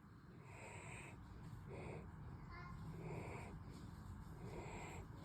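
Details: German Shepherd dog snoring while asleep, exhausted after two nights in a home daycare: soft breathy snores come in rhythmic bursts about every second or so, each with a faint airy hiss, over a steady low indoor rumble.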